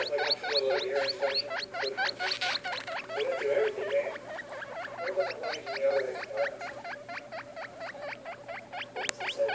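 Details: Baby guinea pigs; rapid series of short, sharp clicking squeaks repeated about twice a second, mixed with softer chirping mid-pitched calls and a steady low hum.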